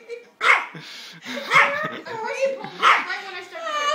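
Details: Three sharp, high yaps about a second apart come from Mickey, a puppy barking at a baby, with people talking and laughing between the barks.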